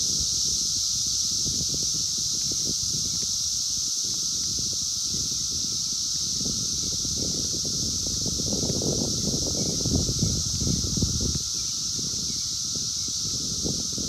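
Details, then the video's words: Brood X periodical cicadas, the 17-year emergence of 2021, calling in the wild and captured by phone: an unbroken shrill drone with a constant lower whine, over heavy rumbling handling and wind noise. "sounds of 17 Year Brood X Cicadas 2021 in the wild"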